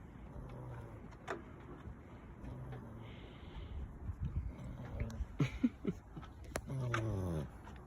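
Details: Eight-week-old American Bully puppy snoring while hanging off a chair after play time; low, rough breathing snores recur roughly every two seconds, mixed with sharp clicks and handling noises.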